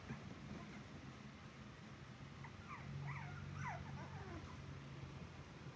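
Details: Puppies whimpering indoors: a quick cluster of thin, squeaky whines, each sliding downward in pitch, repeated several times in the middle seconds over a steady low hum.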